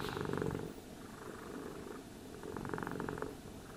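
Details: Groomed cat giving a continuous low purr that pulses rhythmically, louder at the start and again near the end, with short quieter gaps as it breathes in between bursts.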